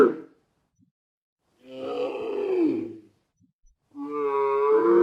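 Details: Dromedary, the Arabian camel, heard in a brief rough bellow, then a longer groaning grunt that sags in pitch, then a harmonic wavering bellow rising at the end, with silent gaps between.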